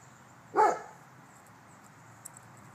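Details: Rottweiler doing a home protection alarm test around the backyard, letting out one brief, forceful bark that fades quickly into faint background hum.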